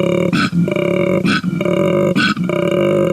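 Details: A male koala bellows at night, a deep, droning, belch-like rumble broken roughly every second by short, rasping snore-like intakes; males use it to communicate over long distances, especially in breeding season.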